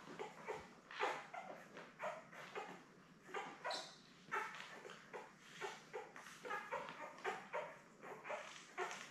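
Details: A steady stream of squeaky whimpers and yips comes from newborn Labrador Retriever puppies, a litter of seven born May 24, 2021, lying with their mother Belle. Short pulses repeat several times a second, over a low hum.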